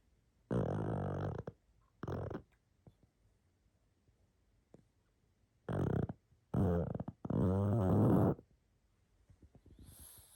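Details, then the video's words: Pug asleep, snoring and snuffling: a series of harsh, rattling snores of varied length, short bursts then a longer rumbling one, separated by quiet pauses, with a faint hiss at the end. "Храп и сопение мопса"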